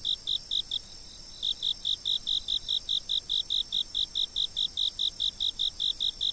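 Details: Insect chirping from a fixed camera, rapid evenly spaced high pulses with a brief gap near the first second, then an unbroken regular train of chirps over a steady shrill background tone.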